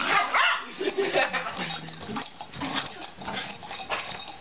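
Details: A dachshund barks in quick, sharp bursts at an exercise ball in a living room after a couple of days of being harassed with it, with some background voices mixed in.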